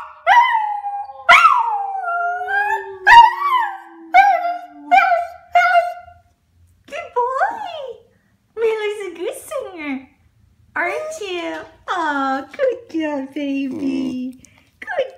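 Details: Pet dog howling along with its owner indoors: wavering, rising-and-falling howled notes in short bursts separated by pauses, mixed with a person's voice and a long falling tone in the first seconds.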